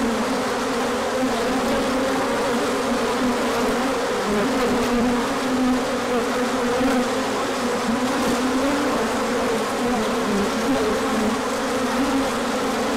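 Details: Large orientation flight of bees on a sunny spell after cold days, 24 March 2024; an unbroken, thick buzzing drone from a crowd of insects, its lower hum gently rising and falling over the stretch.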